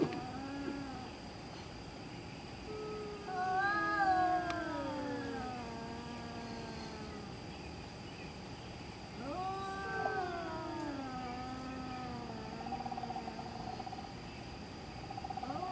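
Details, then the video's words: Domestic cat making spooky calls in the middle of the night: long, wavering, drawn-out yowls that rise and fall in pitch, two main bouts separated by quieter stretches, over a steady background hum. "Cat Making Spooky Noises Middle Of Night"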